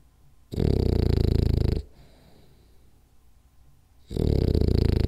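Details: Rolly the French Bulldog napping and snoring: a thick, buzzing snore of over a second, a faint breathy lull, then the next rough snore starting about two seconds later.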